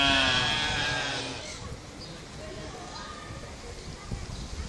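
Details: Corsican mouflon kept at Barcelona Zoo, Spain: a loud, harmonic, drawn-out bleat opens the recording and fades over about a second and a half, then gives way to a murmur of visitors' voices and background crowd noise.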